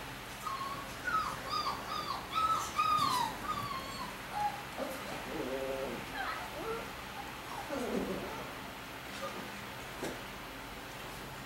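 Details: Puppy that escapes nightly past a baby gate to sleep with its mother, heard in the morning: high, wavering whimpers and squeaky yips in a rapid irregular series, some falling in pitch, with a woman's voice nearby.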